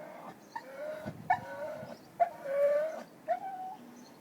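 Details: A lonely dog's crying: four nasal, wavering whines, each starting with a sharp onset and then holding a steady pitch for up to a second, separated by brief pauses and faint snuffling.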